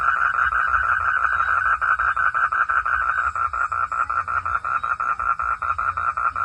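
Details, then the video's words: Frog calling in a forest at night: a fast, steady run of rasping pulses, about four or five a second, held at one mid pitch throughout, over a faint low background hum. "Forest sound frog - sound at night"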